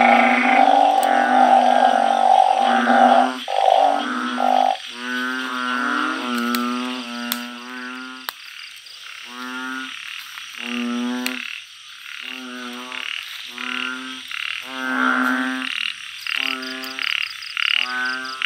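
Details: Blunt-headed burrowing frogs calling at night in a backyard organic garden where they are raised. A dense chorus thins into separate deep, nasal, bleating moans repeated about every second, some overlapping, with faint insect ticking.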